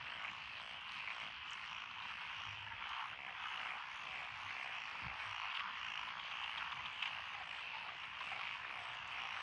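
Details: Frogs in a mixed chorus along a country road through lotus rice paddies in Echizen, Fukui, Japan, 12 June 2021: a dense, steady wash of croaking and trilling with no breaks, with faint low rumbles beneath.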